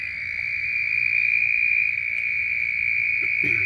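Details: In Sonoran desert washes filled by monsoon rain, what are thought to be red-spotted toads give a loud chorus of steady, high, ringing trills that merges into one continuous drone.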